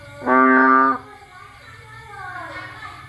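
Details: Single loud, droning bullfrog bleat from a rainy Cambodian night, when frogs leave their hiding places to look for food. A faint falling, wavering sound follows, over a steady thin high whine.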